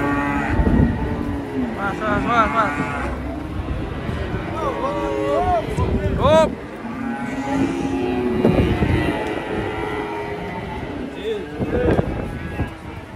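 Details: Cattle being loaded onto a truck: several low, drawn-out moos with wavering harmonic bands, mixed with music, clapping, shouting people and engine rumble.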